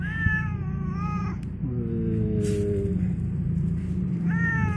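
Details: Angry, hungry domestic cat back home, meowing in two quick wavering calls, then a lower, longer moaning call, then another meow at the end, over steady low background rumble and faint music.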